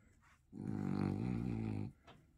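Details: Two-year-old blue French Bulldog enjoying attention and a head massage gives one low, rumbling, moaning groan lasting over a second indoors.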